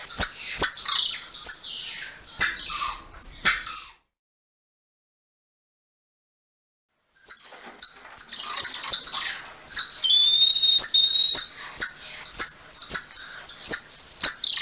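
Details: Rapid high chirps and clicks from a golden lion tamarin, Leontopithecus rosalia, stop for a few seconds of silence, then return with drawn-out thin whistles and repeated sharp ticks.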